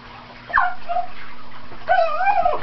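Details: Teek, a pet Cairn Terrier, playing and chasing dust in sunlight: a short high yelp, then after a pause a longer wavering, whining yip with a rising and falling pitch.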